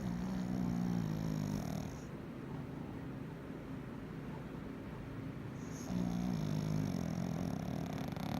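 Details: A male Pekingese, asleep, snores with low, raspy, wavering rumbles, two long breaths a few seconds apart.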